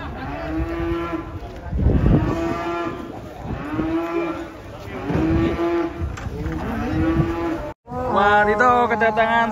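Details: Three cattle arriving on a truck before unloading; steady, tonal moos repeated roughly every two seconds, ending in a brighter, higher bellow after a brief gap, with low rumble and voices.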